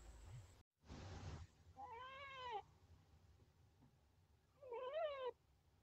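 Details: Chinchilla giving two drawn-out harmonic squeaks, each bending up and then falling. The second is louder and rises then dips. A short burst of noise comes early, with a low hum underneath.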